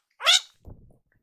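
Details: Rescued baby kittens, Goro and Maru, squabbling on a sofa: one sharp, high, harmonic cry rising then falling, followed by a soft low rustle.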